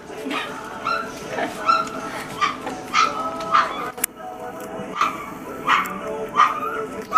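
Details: Litter of Great Pyrenees puppies at dinner, a steady stream of squeaky yips and whimpers about every half second, with a clatter and faint background music.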